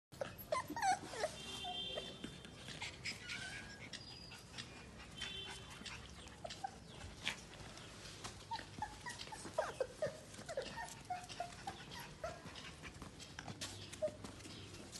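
A Chow Chow puppy gives soft, high whimpers and short squeaky yelps in scattered bursts.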